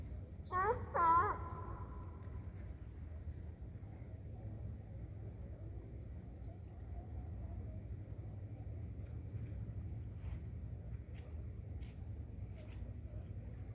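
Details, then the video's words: A sea lion on Gibsons Beach, Powell River, barks back at a dog, two quick, hoarse barks, then low rumbling surf or wind remains. "Sea lion barks back at dog. Gibsons Beach , Powell River"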